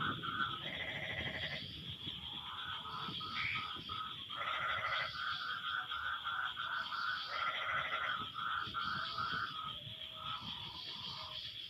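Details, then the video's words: Frogs answering one another after rain: bursts of buzzy, nasal pulsed croaks lasting about a second recur every few seconds, over a continuous chorus of trilling callers and a steady high whine. "Suara Kodok No Copyright sangat MERDU saling BERSAHUTAN"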